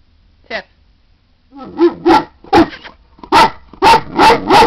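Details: Great Dane female indoors telling her owner she has to go out: a soft whine, then a run of loud, broadband barks roughly every half second, with a person's voice speaking between them.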